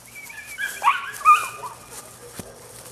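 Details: Male puppy, nine weeks old, giving short high whimpering whines that rise and fall, two louder cries close together in the middle and a soft click near the end; quiet low hum in the background.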